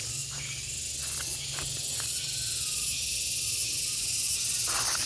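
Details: A gareng pung cicada keeps up a loud, even, shrill whine. The sustained high buzz barely varies, and faint clicks and a low hum sound beneath it.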